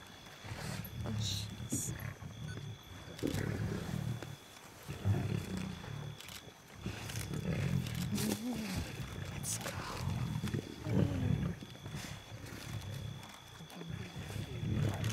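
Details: Lion pride feeding at night in South Luangwa National Park, Zambia, in July 2007, on a first night of safari: low rumbling growls and snarls in bursts of a few seconds, with people talking quietly in a vehicle.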